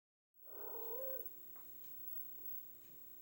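A Siamese cat gives a single drawn-out, nasal meow as a mother calling to her kittens.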